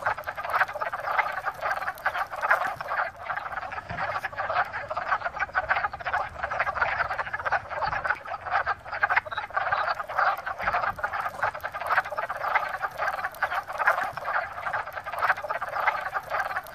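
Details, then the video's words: A dense chorus of male wood frogs singing from a pond in early spring to attract mates after emerging from winter dormancy, many overlapping hoarse, duck-like clucks blending into a steady rattle. "A Wood Frog Chorus"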